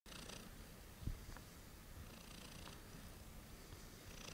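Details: Late-night purring from Heliana, a domestic cat: a steady low rumble held throughout, with one brief louder tap just after the first second in a quiet indoor room.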